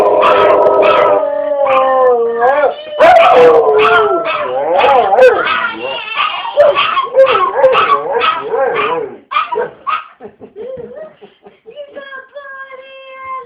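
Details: Pet dog singing along when his owners ask if he has to go potty: wavering, warbling howls broken into rapid pulsed yips and yodels, fading into quieter separated notes and a final held tone, with human voices singing alongside.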